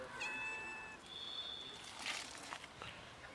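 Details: Friendly cat from a family of cats, with another cat that is scared and not eating; high harmonic meows, one short then a longer flat tone near one second, followed by faint clicks and rustling outdoors.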